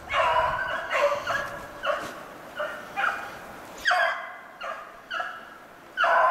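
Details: Beagles running snowshoe hare in February 2016, giving a series of ringing bays roughly every half second to second, some drawn out and wavering, against a quiet outdoor background.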